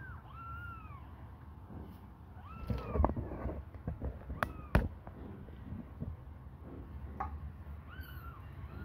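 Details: Hungry kitten babies suckling on a finger give thin, arched, rising-then-falling meows, one near the start, one midway and one at the end, with soft clicks and thumps of handling between them.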